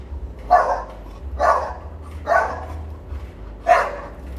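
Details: Four deep, rough barks from an American Bully at Quoc Pagoda Kennels, spaced about a second apart with a slightly longer pause before the last, against a faint low hum; artificial insemination under way.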